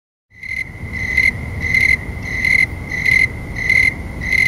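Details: Snowy tree crickets sing around 9 PM on an August night in 2011 at about 70°F: a clear, high trill pulsing in steady rhythmic chirps over a faint low rumble. Their rhythm speeds up with warmer temperatures.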